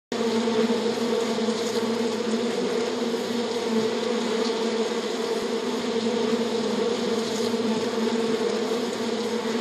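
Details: Many Western honey bees (Apis mellifera) on honeycomb give a steady, dense wing-buzzing hum, droning evenly without pause.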